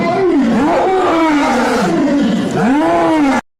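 A lion gives deep, rasping roars with sweeping rising and falling tones in close succession.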